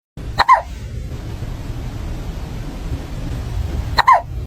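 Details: Cat with hiccups: two short, sharp hiccup jolts about three and a half seconds apart, each a quick click carrying a faint squeaky tone, over a steady low background hum.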